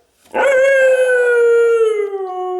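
A Siberian Husky puppy lets out a single drawn-out, tonal howl lasting about two seconds. The voice starts firmly, then sags gently in pitch toward the end, in the breed's well-known talkative manner.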